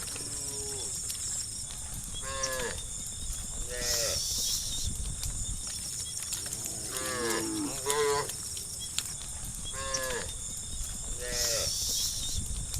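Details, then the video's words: Tame cattle in a herd of dozens wandering along a road, mooing to call their friends while seeking grass; short overlapping moos roughly every one to two seconds, fairly soft, with a constant high buzz and faint music behind. "the sound of the cows calling their friends to look for grass"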